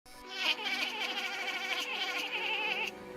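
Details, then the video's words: A cat making a weird noise: one drawn-out, high, wavering cry held for about two and a half seconds with a trembling, warbling quality, then stopping abruptly. "WEIRD CAT NOISE"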